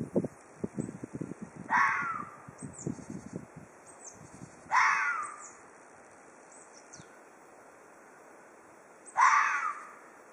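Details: Threatening Ezo red fox in Hokkaido: three loud, raspy screams that slide downward, separated by gaps of about three and four seconds, with quiet background and some low rustling at the start.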